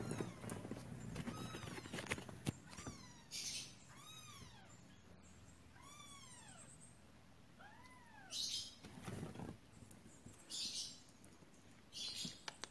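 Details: Pet kittens mewing repeatedly: high, arched cries with clear overtones, about one every second or two at first, then spaced further apart, over rustling, scratching and bursts of hissy noise.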